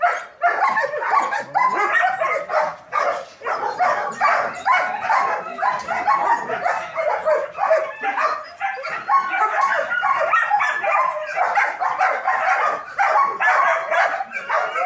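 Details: Chorus of German Shepherds at a dog training academy: continuous rapid barking from many dogs overlapping without pause, loud and harsh throughout.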